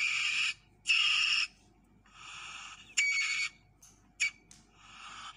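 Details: Asian palm civet, known locally as musang pandan, making harsh, harmonic-rich screeching calls in half-second bursts, about six in five seconds, separated by short quiet gaps.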